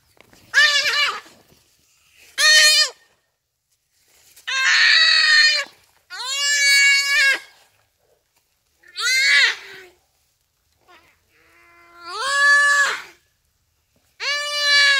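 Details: Common duiker in its dying moments under a cheetah, crying for help on a rainy afternoon at Phinda Private Game Reserve: seven loud, strained, nasal bleats, each up to a second long, some rising then levelling, repeated every two seconds or so.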